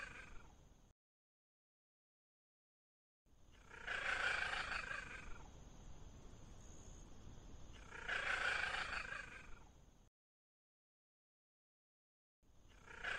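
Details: A Bengal cat (kotek bengalski, Prionailurus bengalensis, the wild leopard cat) gives loud, drawn-out meows, spaced a few seconds apart.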